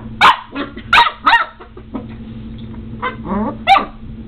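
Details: Border Collie puppy Omega, seven weeks old, in a fierce tussle with a doorstop: a quick cluster of three high barks, a quieter pause with soft growls and yips, then a final sharp bark.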